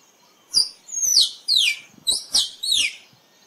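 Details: A squirrel gives a rapid series of piercing, high chirps, each sliding sharply downward. About six notes come in irregular bunches over three seconds against a quiet background.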